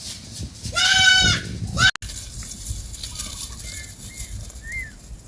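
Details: A goat from a family grazing in a forest gives one loud, shaky bleat near the start, followed by a brief clatter and quieter rustling with a few faint, thin chirps in the background.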